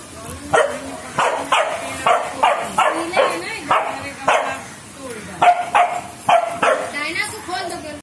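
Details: Rottweiler puppies at the start of their training give a run of sharp, high yipping barks, with a man speaking in the background.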